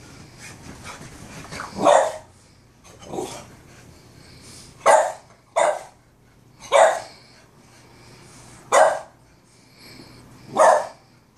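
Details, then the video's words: Peanut, a Boston Terrier, barking at his brother Cashew: loud, sharp single barks spaced about every one to two seconds, with softer muffled sounds between them indoors. "Boston Terrier Barking"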